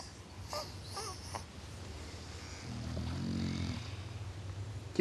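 An English Bulldog snores in its sleep, a deep, rough rumble that swells and fades over about a second. Earlier, a person softly calls the dog's name, and a steady low hum runs underneath.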